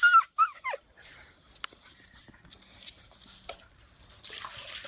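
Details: Siberian Husky puppy whimpering: a few high, sharply falling whines packed into the first second, then near quiet with scattered clicks, taps and rustling, and a soft burst of hiss toward the end.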